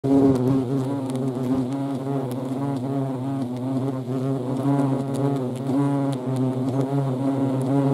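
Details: European hornets in the Eifel, Germany, filmed in action: a loud, steady low droning buzz with a clear harmonic stack, holding an even hum with slight wavering throughout, several wingbeat tones overlapping as insects fly close.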